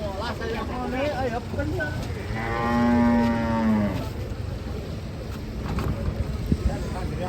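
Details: Large cattle being unloaded in Indonesia; a single drawn-out bellowing moo swells and fades between two and four seconds, rich in stacked harmonics, amid crowd chatter and clattering noise.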